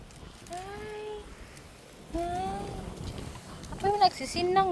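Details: Pet goats bleating: three drawn-out, slightly arching harmonic bleats under a second each, spaced about a second and a half apart, the last breaking into a quick wavering double cry, over faint background hiss.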